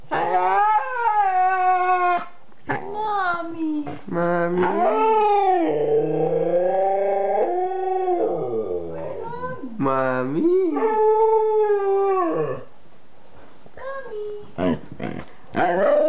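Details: Two-year-old Siberian Husky howling and 'talking', giving a run of wavering, rising and falling tonal howls and yodel-like moans with short breaks between phrases, ending in brief whimpering notes.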